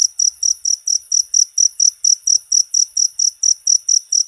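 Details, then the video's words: Short stretch of a cricket calling, used to tutor songbirds: shrill, high chirps in an even beat of about two per second over clean silence. "MP3 JANGKRIK,COCOK UNTUK MASTERAN SEMUA BURUNG..!!!"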